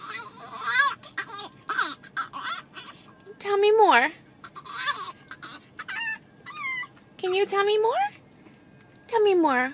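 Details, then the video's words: Pet dog 'talking' in a funny talking-dogs compilation: a run of drawn-out, whining, howl-like yowls that bend up and down in pitch, about six bursts with short pauses, while a person's voice coaxes it to tell more. "Funny Talking Dogs"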